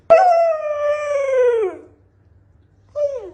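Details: Male Siberian Husky kept as a pet howls in protest against going on a diet; a long, clear, harmonic howl gliding slowly downward for nearly two seconds, a pause, then a shorter falling howl.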